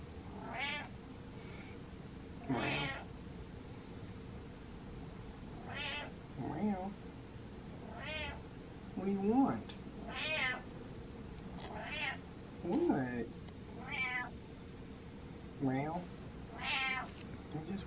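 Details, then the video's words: Bossy cat repeatedly meowing for attention, around ten varied meows over eighteen seconds, some short chirpy, others long and wavering, with brief human voice and faint household sounds in between. "Cat Demands Attention"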